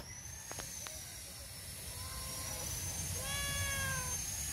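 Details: Stray male cat named Socks meowing at a back gate to ask for food. Two drawn-out, clear meows, the second longer and steadier, over a constant high-pitched whine and low rumble.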